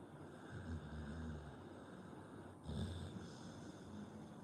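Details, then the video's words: Pit Bull asleep and snoring, two low throaty rattling snores about two seconds apart, each drawn out and rough, with faint hiss throughout. "Pitbull dog snoring"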